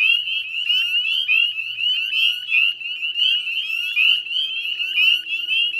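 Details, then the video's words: Evening chorus of northern spring peepers near the Chezzetcook salt marsh, Nova Scotia, in mid-May 2020; a throng of high, clipped, rising peeps overlapping into a continuous ringing chorus. "Northern Spring Peeper Chorus"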